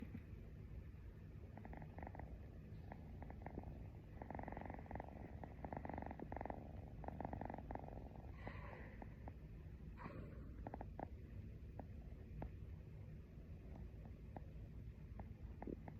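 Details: Pet cat purring steadily while its owner falls asleep beside it. A soft, continuous low rumble runs throughout, with faint rhythmic pulses and occasional light rustles. Recorded quietly at close range.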